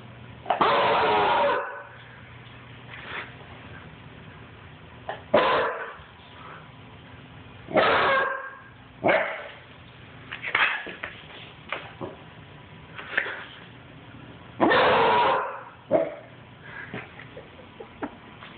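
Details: Basset Hound puppy running and barking: loud, harsh barks at uneven intervals, about nine bursts, the first and one near the end longer and fuller, others short and clipped, over a low steady background hum.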